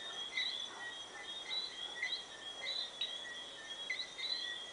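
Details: Bermuda tree frogs, introduced to Bermuda before 1880, giving their bell-like whistling chorus at sunset: overlapping brief high whistles roughly once a second from several callers over a constant shrill drone.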